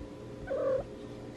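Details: A domestic cat waiting for chicken gives one brief, mid-pitched meow that swells and fades within a third of a second, over a faint room hum.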